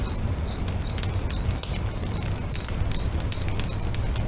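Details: By a lakeside bonfire at sunset, a cricket chirps in short high pulses about every 0.8 seconds, while the fire snaps and crackles with sharp bursts and a soft low rumble underneath.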